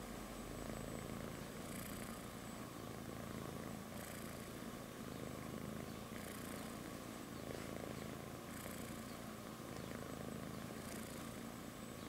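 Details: Sleeping kitten lying on its mother's belly purrs without a break: a low, even rumble, with a breathy surge about every two seconds across the stretch.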